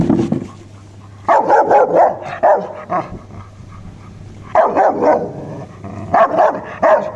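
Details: Rottweiler barking: loud, deep, sharp barks in short bursts of two to four, repeated after brief pauses, with a low steady hum underneath.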